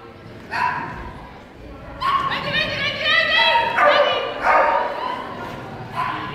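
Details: Whippet named Hurricane Rendy Toomie Trishel at an agility training competition in Parnu on 29 November 2014, tunnel course; a handful of high, harmonic yelping barks in short bursts, with people talking in a large indoor hall.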